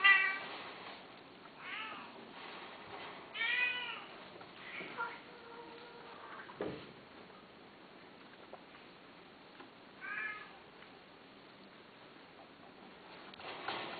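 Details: Domestic cat giving a few separate, arching meows spaced several seconds apart in a quiet indoor setting, with a soft thump midway and long pauses between calls.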